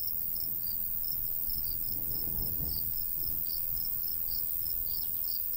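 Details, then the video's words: High, rapid cricket chirps, nearly four a second and slightly irregular, come from a summer wheat field in the countryside, with a light breeze gusting low in the background. "Countryside/cricket sounds"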